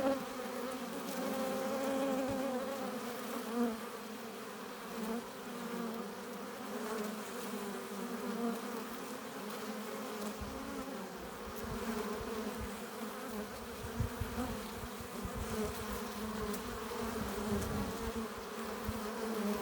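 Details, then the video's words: Honey bees at a hive entrance, returning with pollen and nectar: a dense, steady hum of many wings with layered drone tones and small swells as individual bees pass close by. "15 minutes of bee hive entrance! Relaxing sounds! Buzzing sound efects"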